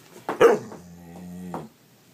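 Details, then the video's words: Pet dog, apparently expecting food, gives one short sharp bark followed by a steady low whine lasting about a second; a person's voice talks to it before and after. "Smart Talking Funny Dog Videos"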